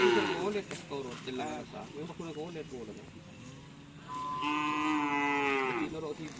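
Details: Madura cattle at a karapan sapi practice session on the Asemanis field, Pamekasan: excited human shouts and calls come first, then a single clear, drawn-out moo lasting over a second against quieter crowd noise.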